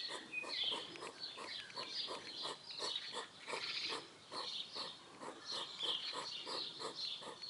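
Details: Two hedgehogs in a garden near a hedge make rapid, rhythmic snuffling and huffing, short snorts about three a second, over loud rustling in dry vegetation.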